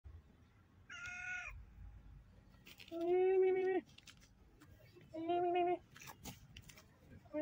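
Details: Stray cat begging for food gives three meows: a short, higher, thinner first cry, then two louder, longer, drawn-out meows about two seconds apart, with faint background rustling between them.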